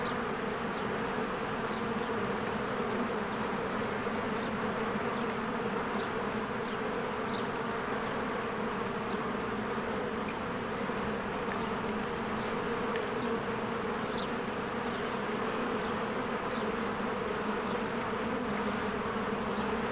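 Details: Honeybees flying in and out of their hive in spring among blooming flowers. A steady, dense buzzing drone holds low hum bands throughout, with faint brief high chirps scattered above.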